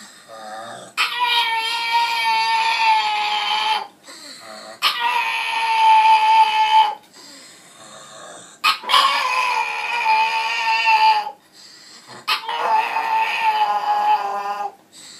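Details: Lotte, a pet pug, cries like a baby whenever left alone: long, harmonic, wailing cries of about three seconds each, broken by short pauses, four in a row.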